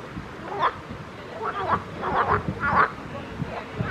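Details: Pond frogs croaking: a handful of short, rasping mid-pitched calls in quick succession, some doubled, with a low murmur of background noise.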